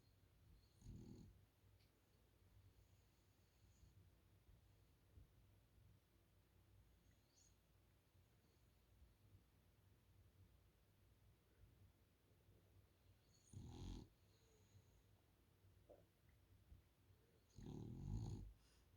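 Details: A French Bulldog snores on a couch in low, rumbling bursts separated by long quiet stretches.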